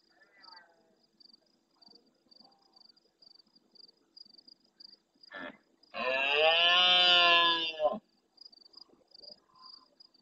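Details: At nightfall in the Doñana marshes of El Rocío, Andalusia, Spain, a big red deer stag close to the camera replies to farther stags. A short grunt precedes one sustained, rasping, harmonic bellow of about two seconds, with faint high pulsed chirping throughout.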